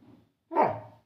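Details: Roxy, a pet Labrador Retriever lying across a gate and blocking the way out, gives a single short, low, gruff bark that swells and fades within half a second, after a quiet murmur, indoors while a person scolds and talks to her.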